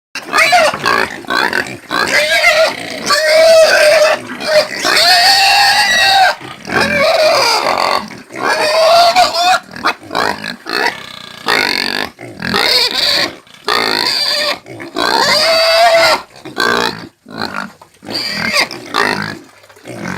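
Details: Domestic pig squealing and screaming repeatedly, loud harsh cries with strong tonal bands, broken by short pauses throughout.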